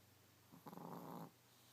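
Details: Sleeping Chihuahua named Chico gives one drawn-out rattling snore lasting under a second, a buzzy inhaled rasp that rises and then stops abruptly, with a soft electrical hum underneath.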